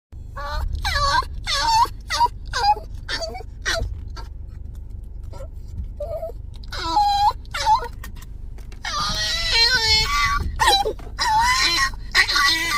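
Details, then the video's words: Pet dog letting out sudden strange screams like a weird creature, indoors in a small room; wavering, wailing high-pitched cries with rich harmonics, repeated in short bursts, then a long sustained warbling scream near the end. "이상한(?) 소리내는 강아지. 냅다 괴생명체같은 소리지르기"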